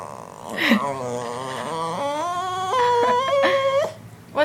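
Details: A pet dog, female, who wants her bone back, gives a long whining moan that climbs in steps, wavering and held, with brief human speech at the start.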